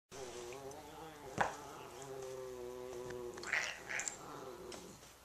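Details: An F1 Savannah cat, playing with another and getting worked up, gives a long, wavering, moaning yowl that swells and falls over several seconds.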